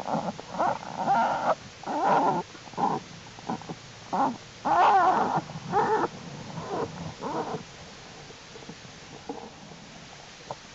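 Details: American black bear cubs in their winter den in late January, during unusually warm temperatures, growing stronger and crawling around. Short, throaty, harmonic bursts come in an uneven run, some drawn out, then fade into quieter murmurs after about eight seconds.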